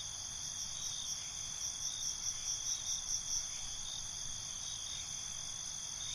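Crickets trill steadily at night, a dense high-pitched chorus of overlapping pulsing chirps.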